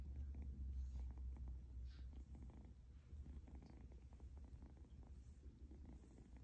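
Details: Egyptian Mau kitten purring close up, a steady low throaty rumble with soft rhythmic pulses throughout, slightly louder in the first seconds, with faint rustling in the background.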